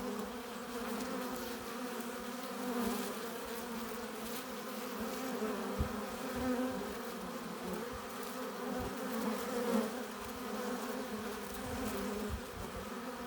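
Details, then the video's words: Steady colony hum from honey bees at their hive entrance, foragers coming in with pollen and nectar; dense buzzing drone with a few sharp close fly-bys standing out. "15 minutes of bee hive entrance! Relaxing sounds! Buzzing sound efects"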